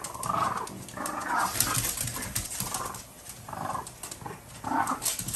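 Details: French Bulldogs fighting over a toy duck: rough, snarling growls in bursts about every second, separated by short pauses, over scuffling and a steady background hiss.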